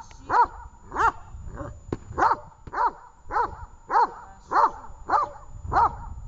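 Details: Training session with Tash, a dog, in Horlivka on 18 August 2019: about ten loud, evenly spaced barks, each short and punchy, repeated at just under one per second, with little else heard.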